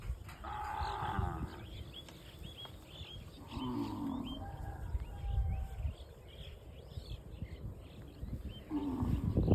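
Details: Tame cows grazing in the fields of a cattle farm; drawn-out low moos come at about 0.5, 3.5 and 9 seconds over a steady rustling, chewing background, while small birds chirp briefly and repeatedly above.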